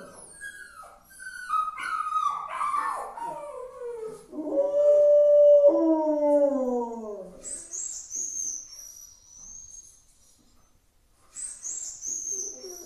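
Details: 5 A Rottweiler howls in long, falling, mournful tones, holding one steady note in the middle; the owner says he is sad about the puppy.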